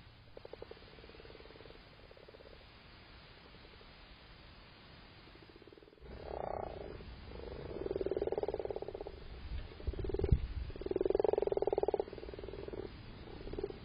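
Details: Male frogs calling while spawning on 7 March, a pair in amplexus nearby: low rattling croaks in irregular bursts, faint at first, then louder overlapping purring calls from several frogs.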